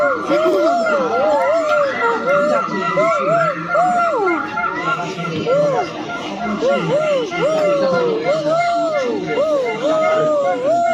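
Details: Silvery gibbon giving rising-and-falling tonal hoops at an irregular pace, some notes swooping higher, over a steady mechanical tone and low background noise.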